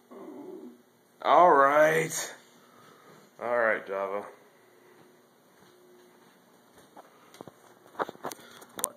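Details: A 13-year-old male Italian Greyhound 'talks' to his owner in two wavering, yodel-like moans and whines, protesting that his blanket was taken. He does this every morning and night.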